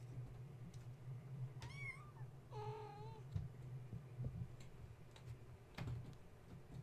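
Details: Wound-up kittens of mother cat Gaia at bedtime, roused by a space heater being plugged in and refusing to settle for nursing; two meows, the first rising then dipping, the second a longer level wail, steady low hum beneath.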